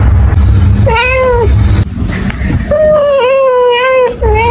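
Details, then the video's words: Domestic cat meowing: two drawn-out tonal meows, the first a short rising-falling wail, the second longer and wavering, with a steady low hum and faint hiss underneath. "cat sound"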